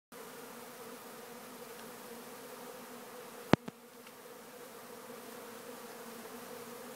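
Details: Honeybees swarming around a homemade sugar water feeder, their wings making a steady, dense, low droning hum with no breaks; a single sharp click sounds midway.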